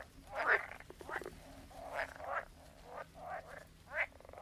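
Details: Frogs croaking at some distance, raspy pulsed croaks rising and falling every half second or so, partly blurred by a steady background hiss and low hum.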